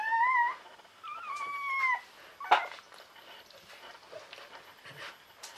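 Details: Newborn Czechoslovakian Wolfdog puppy, born 21 November 2020 in a litter of five females to Orizon and Rahan at a breeding kennel, crying with two high whining squeals that fall at the end, then a sharp yelp and soft rustling.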